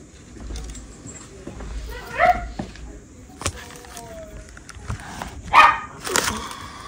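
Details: Six-week-old West Highland White Terrier puppies from Princess Fiona's litter give brief high whimpers and short yips, scattered unevenly over several seconds, with soft human voices and light handling noises in the background.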